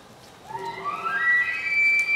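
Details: Bull elk in the rut, bugling in a west yard while raking grass with his antlers: a whistled note rises from low to a piercing, sustained high squeal with bright overtones, growing steadily louder.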